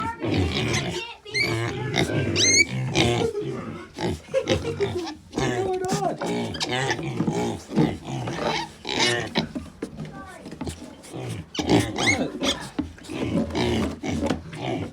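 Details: Piglets at a farm give a busy mix of high squeaks and short grunts, with some background music.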